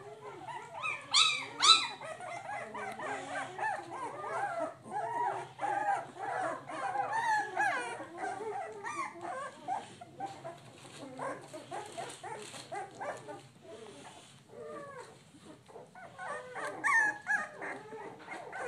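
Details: Several three-week-old American Pit Bull Terrier puppies checking out the area, whining and whimpering almost constantly in short, rapid, overlapping cries. Louder squeals come near the start and again toward the end, with a faint low hum behind.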